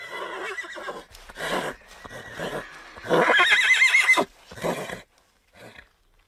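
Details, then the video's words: Domesticated horse whinnying in a series of pulsed, shaky bursts, building to a loud, high, wavering neigh near the middle, then trailing off into shorter snorting fragments and quiet. "Horse Sound Effects"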